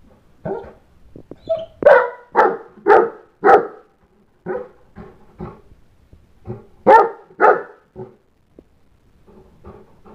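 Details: Loud, repeated barking from a St. Bernard left behind when the children went outside to play. Irregular volleys of hoarse barks mix louder bursts with quieter, shorter woofs across about ten seconds, with brief silent gaps.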